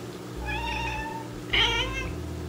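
Two meows from a Japanese Bobtail cat: a smooth, level first call, then a brighter, warbling second one with a rising-falling tone. The voice is sweet and soft, shifting through several tones.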